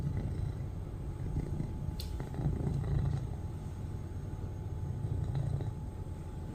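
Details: A loud purr from a domestic cat as it watches its owner: a continuous deep rumble with rhythmic pulsing and one sharp click near the start.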